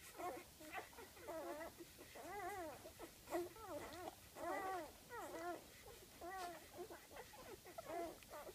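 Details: Five-day-old golden retriever puppies from a litter of eight, born September 17; one pup repeats arched, wavering whimpers about every half second to second, rising then falling in pitch, with a clear harmonic ring.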